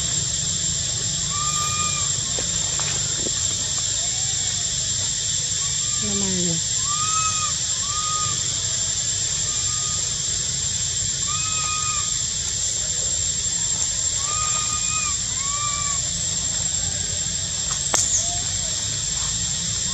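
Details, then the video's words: Young monkey at Angkor Wat and Bayon temple, Cambodia, in spring, whistling for milk: clear arched whistles, rising then falling, repeated every second or two over a steady high hiss of insects and a low rumble. "young monkey whistling for milk"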